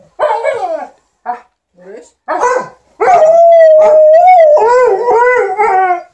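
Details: While their owner irons, an Alaskan Malamute and a Golden Retriever 'talk' to her: a few clipped woo-woo sounds, then a sustained, steady howled note that bends at the end and breaks into warbling moans.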